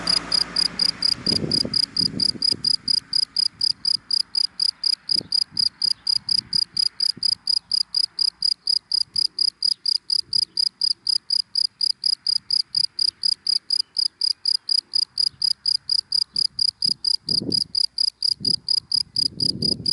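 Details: Cricket chirping in dry grass during the daytime: steady high-pitched pulsed chirps, roughly four per second, held evenly throughout, with low thumps and faint rumble of passing traffic in the background.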